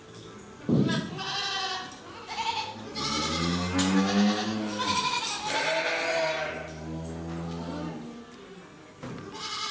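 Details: Jersey cattle at Nasu Rindoko Lake View in Tochigi, Japan, on 7 December 2018, giving a low, hoarse, drawn-out moo with strong harmonics, overlapping other calls and indistinct human voices.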